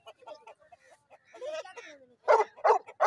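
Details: American Bully dogs in Pakistan during a staged fight match: a few soft voiced sounds, then three loud, broad barks in quick succession near the end, with human voices in the background.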